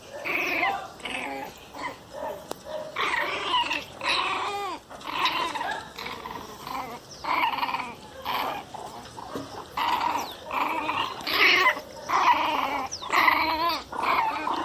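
A Miniature Pinscher cries in bursts of high, wavering whines, about one every second.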